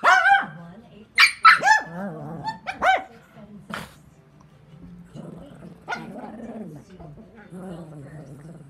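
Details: Two jealous Shih Tzu brothers, one a baby, fighting over a bully stick: sharp high yapping barks in a burst over the first four seconds, then low rumbling growls that continue steadily to the end.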